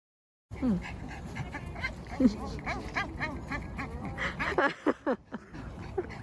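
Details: Boston Terrier named Mocca at a playground whining excitedly on spotting her favourite soft, bouncy ball, urging it to be kicked. Short rising-then-falling whimpers and yips come in bursts, crowding together near the end, over steady human chatter.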